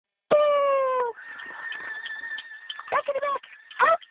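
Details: A 5-month-old male American Pit Bull Terrier puppy "sings," giving a long, slightly falling howl and then short wavering yelps.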